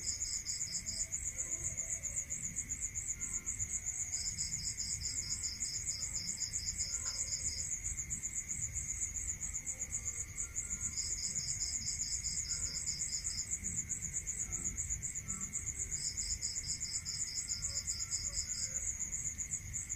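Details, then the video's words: Several crickets at night in a rural setting: bursts of fast, regular high-pitched pulses alternating with pauses, set against an unbroken shrill drone, a steady mid-pitched whine and soft low background rumble. "Listening to Cricket Sound"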